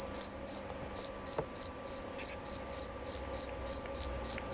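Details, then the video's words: Male jerabang cricket chirping loud and clear: bright, high-pitched pulses at about three per second, fairly regular after a short early pause, with a low background hum. "Bunyi Suara Jangkrik Jerabang Nyaring dan Jernih"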